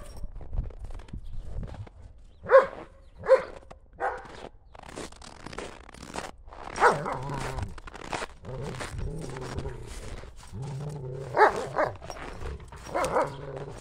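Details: Two German Shepherds, Buffy and Willow, chasing a ball through snow on a cold day in January; scattered sharp barks, two close together early on, amid constant crunching steps and scuffling.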